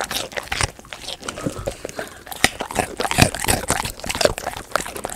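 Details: A pet golden retriever eats crunchy raw sweet potato, filmed as eating ASMR; loud, dense, irregular crunching and biting runs throughout without pause.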